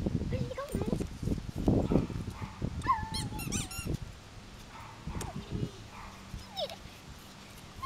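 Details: Yorkshire Terrier puppies playing together: a quick burst of high, squeaky yips and short rising whines clusters around the middle, with scattered softer squeaks later, over low thumping rumble and a human voice.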